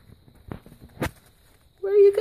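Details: Two-week-old kitten of the Bauhaus litter (Satori, Double Dare and Spirit), recorded 13 June 2015; a few soft taps and rustles, then one loud, high, clear mew that holds steady and lifts slightly at the end.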